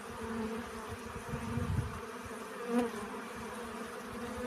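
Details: Bee collecting pollen, heard as a soft, continuous droning buzz with a low rumble underneath and one short, sharper swell of buzzing near the end.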